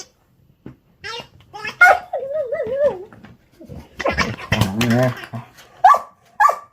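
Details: German Shepherd indoors during play, vocalizing when unable to destroy a toy: a wavering, yodel-like whine rising and falling rapidly, then a lower grumbling stretch and two short sharp squeaks near the end, with some human voice mixed in.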